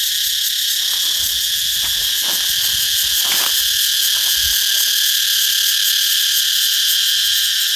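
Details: Cicadas calling in a loud chorus in a Thai forest garden zone where trees are putting out new leaves; a dense, continuous, steady buzzing hiss fills the high range without pause, with faint low rustles and knocks beneath.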